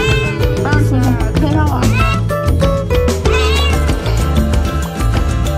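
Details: Kitten of a stray cat crying as it is brought to its new home; several short, rising-then-falling meows come in quick succession in the first four seconds, partly masked by loud, upbeat Latin-style music playing throughout.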